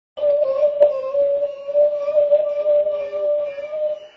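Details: Greyhound roo: one steady, drawn-out howling tone held evenly for about four seconds with only slight wavering, faint overtones above, no other sounds.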